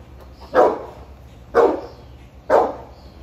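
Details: Boerboel named Sheeba checking on chickens kept for eggs, giving deep barks repeated about once a second, three clear bursts with a quiet background between them.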